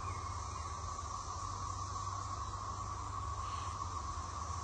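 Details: Cicadas on a Wednesday afternoon, 15 May 2024, between rain showers: a steady, distant chorus hums as one unbroken whining drone, quieter than usual, over wind rustling trees and a low rumble.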